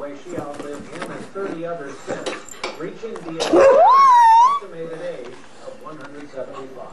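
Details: Precious, a pet female dog, playing around and sounding evil: a single loud, rising whine-like howl of about a second that sweeps upward then levels off, over quieter background chatter.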